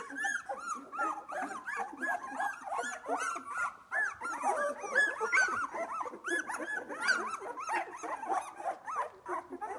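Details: Several two-week-old Australian Labradoodle puppies are just opening their eyes and playing. They make a dense, continuous chorus of overlapping high squeaks and whimpers, each a short rising-and-falling arc, with barely a pause throughout.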